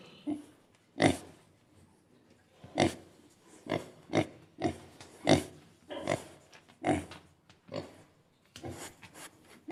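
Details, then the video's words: Pig giving a series of short, harsh grunts and snorts, roughly one burst every second or so, each brief and noisy, some paired, with quiet gaps between. "Som de porco / Pig sound"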